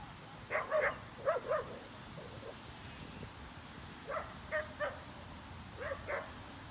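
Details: Dogs at play in a snowy dog park, Molly with a six-month-old Boxer puppy romping in wet snow: three bursts of short, yappy barks, two or three per burst, with quiet gaps between them.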